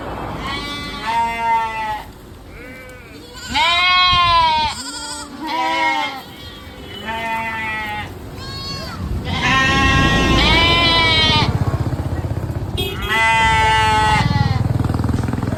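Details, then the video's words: Sheep and lambs bleating repeatedly, a flock chorus of overlapping wavering, nasal bleats of varied pitch, some short and some drawn out, with steady low background noise. "Sounds of sheep’s, lamp sound"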